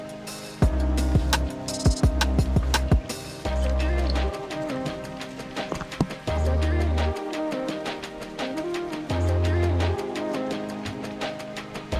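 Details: Background music with a steady beat and melodic lines, plus a little speech, and no audible goat or other animal call.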